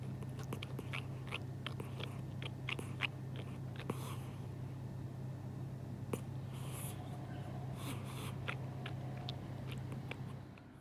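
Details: Sleeping pet cat, thought to be dreaming of eating, making intense smacking chewing noises: quick clicky smacks through the first four seconds, then softer breathy sounds and scattered clicks over a steady low indoor hum.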